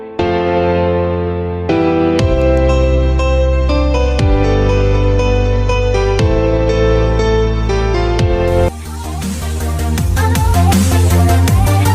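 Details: Loud electronic music with sustained synth tones and a heavy bass drop, and no animal sound.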